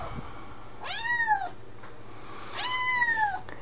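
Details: Vocal 10-week-old Highlander kitten on its second day in a new home gives two drawn-out, arching meows about 1.5 seconds apart in a small quiet room, with a woman's voice nearby.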